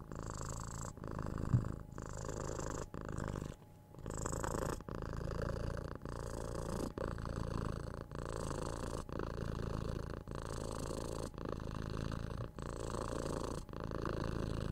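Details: Purring six-month-old kitten being cuddled, patted and scratched on the head, recorded with a binaural microphone; strong low rumbling purr in regular breath cycles of about a second, one short pause near four seconds, faint scratching noises.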